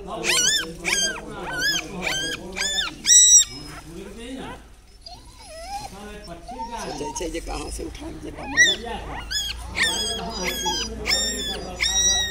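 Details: Mother dog with newborn puppies about one day old: dense bursts of shrill, wavering whimpering cries at the start and end, separated by a quieter, lower, murmuring stretch in the middle.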